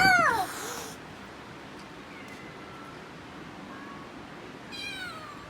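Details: Domestic cat giving a short loud meow at the start, a quiet pause with faint sounds, and another bright meow near the end.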